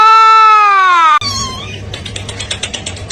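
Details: Kitten meowing: one long, even, tonal meow held for about a second, sliding slightly downward, then cut off abruptly into a noisy stretch with faint clattering sounds.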